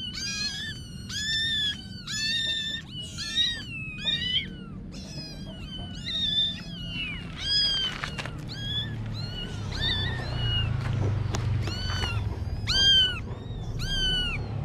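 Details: Several kittens meowing almost nonstop, high, bent calls overlapping in quick bursts, some rising then falling, with a low rumbling background throughout.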